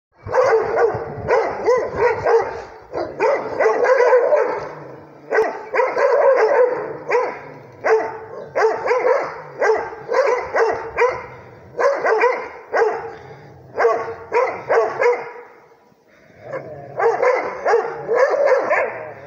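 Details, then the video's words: Rhodesian Ridgeback barking at a tablet. Rapid volleys of harsh, harmonic barks come in dense bursts about every second or two. Brief pauses separate the bursts, with one longer gap near the end. "Rhodesian ridgeback barking at the tablet"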